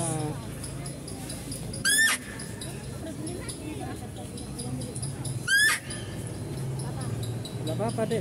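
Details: Female deer at a zoo, heard while a male deer is being fed, gives two short, sharp, high squealing calls rising steeply in pitch, about three and a half seconds apart, amid people chatting nearby.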